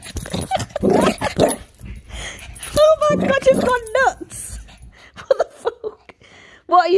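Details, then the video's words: Milo, a Shih Tzu, going mental; quick bursts of high-pitched yelping whines, some rising then falling, mixed with people talking and laughing. "milo shih tzu going mental"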